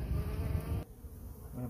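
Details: Honey bee colony living in a cabinet on a covered porch, heard during its removal: a steady low droning buzz for under a second, then dropping away to quiet.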